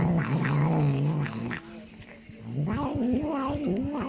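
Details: A cat vocalising oddly while eating: low, humming growl-like murmurs in uneven bursts, dipping and rising in pitch, with a short quieter gap midway.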